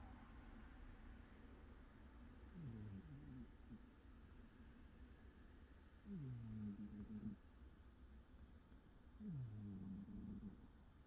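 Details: An old cat snores while napping. Three low, rasping snores come roughly every three and a half seconds, each a short rising-then-falling drone. A steady faint hiss and hum fill the background.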